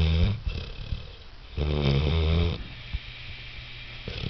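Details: Wilson, a 6-month-old Saint Bernard, snoring: deep rumbling low breaths, a loud drawn-out snore in the middle followed by quieter wheezy exhalations.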